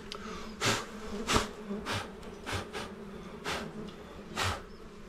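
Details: Honey bees at a small beehive during honey hunting, a steady low buzzing hum with harmonic bands, broken by brief broadband knocks and rustles about once a second.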